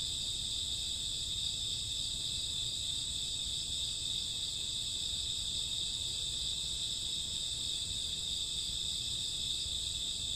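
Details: Night-time crickets with other grass insects in summer or autumn, many callers blending into one constant, high, shimmering trill that never stops, with a gentle low hum beneath.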